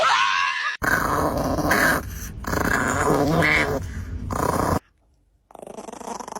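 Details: Angry dog in a spinning 'tiny tornado' outburst after the wrong button is pushed: harsh, continuous rumbling growls in several bursts broken by abrupt cuts, with a short silent gap before a quieter final stretch.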